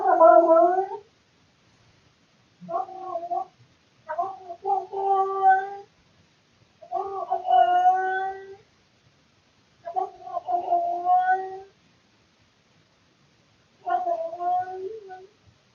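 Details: Male house cat indoors in the middle of the night, captured by a surveillance camera, making loud weird noises out of boredom: six drawn-out harmonic yowls, each about a second long, rising and wavering, separated by short silences.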